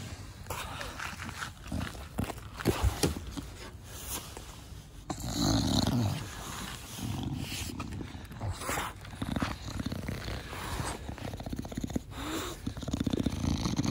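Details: Pet Bulldog named Da Vinci, a short-nosed breed, being cuddled by its owner in a garden: rough, low snorting breaths in rapid irregular bursts, grunting and snuffly, with handling rustles throughout.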